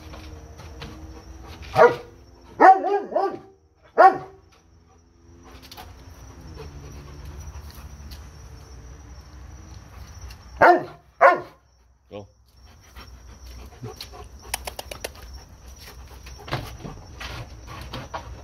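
A Doberman gives loud, deep barks in two short bursts, separated by quiet pauses.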